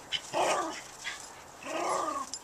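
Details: Jackson, a pet dog playing with his brick in a backyard, gives two short whiny vocal bursts about a second apart, with a person's voice nearby.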